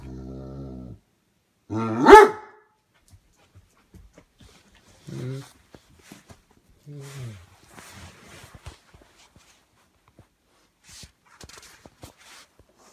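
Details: A Great Dane, jealous of another dog on the couch, gives a low, rumbling growl, then one loud, deep bark, while its owner scolds it.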